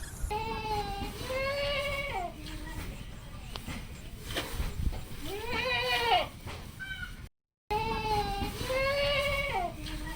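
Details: A mother goat and two kids on a Padma River char in Bangladesh call with three drawn-out, wavering, nasal bleats spread across the clip, with faint background noise between them.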